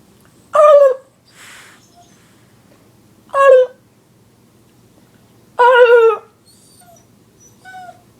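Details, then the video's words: Dog reacting to annoying sounds: three short, sharp yelping barks spaced about three seconds apart, each bright and harmonic, with faint softer noises between them in a quiet room. "Dog hates annoying sounds!"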